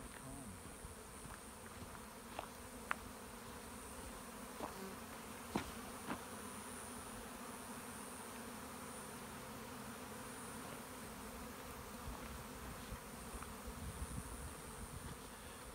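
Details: Big swarm of honey bees clustered on a dead shrub along a hiking trail in the Santa Monica Mountains, late spring 2017; continuous, even, low buzzing drone filling the recording, broken only by a few brief sharp ticks.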